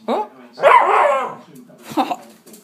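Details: An 11-month-old black male Miniature Schnauzer puppy gives a brief, wavering howl in greeting to his owner, likened to an elephant impression; a human voice is heard nearby.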